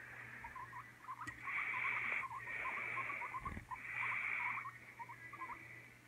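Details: Pet guinea pigs Oreo and Donut, kept together, with Oreo afraid of Donut after repeated fights; short soft squeaks and chirps in irregular runs, overlaid by hissy rustling bursts about a second long.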